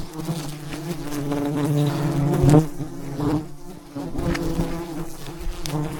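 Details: Mountain honey hunting at a huge wild hive teeming with thousands of bees; a thick, low-pitched buzzing that rises briefly in loudness midway, with faint rustling and knocks underneath.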